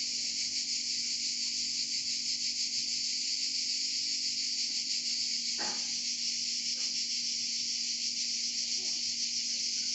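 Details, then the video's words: Cicadas singing in Provence, a dense, continuous buzzing drone with a fast pulsing texture, steady throughout; one brief click-like sound near the middle and a faint low hum underneath. "Chant des Cigales en Provence"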